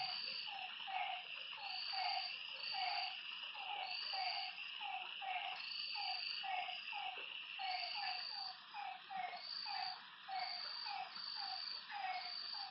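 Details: Frogs at a lake after dark: a long run of short, dropping notes, several overlapping callers, about two notes each second, under a dense wall of high insect trills that swell and pause.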